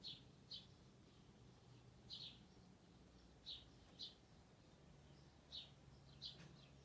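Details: Little rabbits eat dried sorrel loudly, with soft, crisp crunches at irregular intervals over a quiet low hum.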